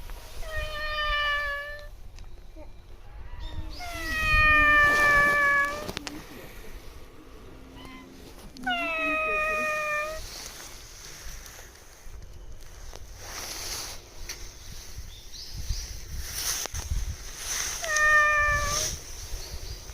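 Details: Stray cat at a shrine answering a person who talks to it: four loud, drawn-out, wavering meows spaced several seconds apart, with human speech and handling noise between the calls.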